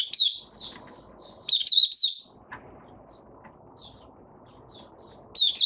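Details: White-eye in captivity, opening song on 8 January 2022: loud bursts of rapid high chirps at start and end, with faint scattered notes and soft background noise between.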